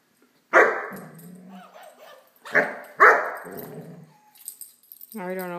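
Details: A Great Dane puppy at play with a toy dog lets out three loud barks: one, then a close pair after a pause. A short toy squeak follows, and a person speaks nearby.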